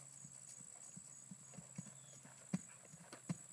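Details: Female Percheron horse schooling over a 3'9" jump for the first time; soft, dull hoof thuds fall in an uneven rhythm, a few landing harder, over a steady low hum and faint high hiss.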